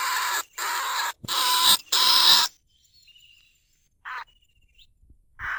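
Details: In Na Lao rice fields, Nong Khu Phai, a lesser bandicoot rat gives four loud, harsh, hissing squeals in quick succession, recorded live to lure rats from their burrows. Thin level whistles follow in a quiet gap, then one more short rasp.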